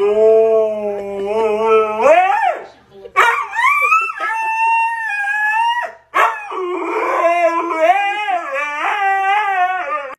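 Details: Siberian husky vocalising: long, loud, harmonic howl-like calls that bend upward and waver, broken by brief gaps, ending in a series of wavering, yodel-like rises and falls.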